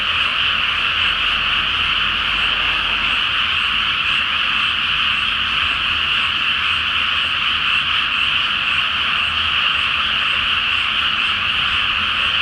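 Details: Many frogs call together at night over a water-filled rice field before planting, beneath the full moon; a thick, even mass of rapid croaking continues without a break for the whole stretch.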